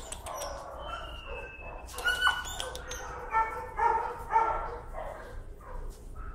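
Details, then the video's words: A leash-shy, timid dog protests being walked on a lead, giving a run of short, pitched yelping screams about every half second, preceded by a thin, high, steady tone. "Timid dog, afraid of leash, screams and protests."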